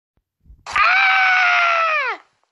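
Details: Puppy Phoenix screaming: one loud, sustained, nasal cry lasting about a second and a half, held at a steady pitch and then sliding down at the end, after a short low sound.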